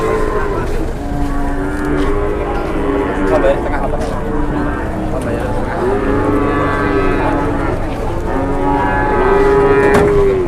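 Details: Cattle at a busy cattle market. Several drawn-out, low, steady moos overlap, each lasting a second or more. The loudest comes near the end. Constant crowd chatter and market din run underneath.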